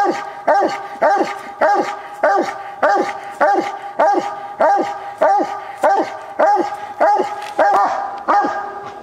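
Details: Copper, a Walker coonhound known as an accurate tree dog, barks at the tree on a coon hunt; a long run of evenly spaced, forceful barks, about two per second, each sliding downward, in a grainy old recording.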